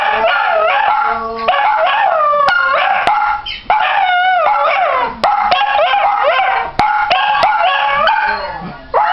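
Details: Dachshunds howling together in a spontaneous long, wavering chorus of rising and falling tones, with one dog joining in from another room.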